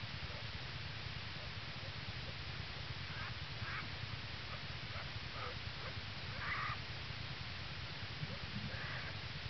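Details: Den recording, early morning 22 January 2011, Ely, Minnesota: yearling black bear Hope purrs on mother Lily, who guards two cubs born the previous day. A low rhythmic rumble continues beneath scattered brief higher squeals and chirps.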